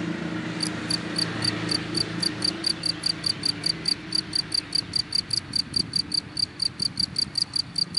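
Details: Cricket hidden in grass, chirping steadily: short, high, bright pulses repeated about two and a half times per second, starting after a brief pause, over a low droning hum in the background.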